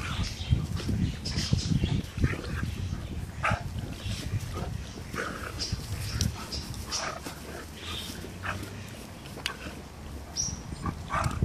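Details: Two Great Danes, one aged 2 years and a 10-week-old puppy, playing together in a garden; rough, low grunting and growly bursts come almost nonstop, with sharp scuffling clicks and snorts scattered throughout.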